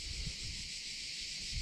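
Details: Cicadas sing in a steady, high, hissing drone, with low wind rumble underneath, in summer in a pine forest along a cycle path near Cervia toward Ravenna, Italy.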